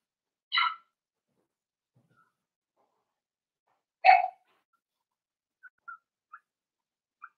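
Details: A four-week-old Cavalier King Charles Spaniel puppy of Daisy's litter, penned indoors, lets out two separate high yips about three seconds apart, then a few tiny faint squeaks trail off.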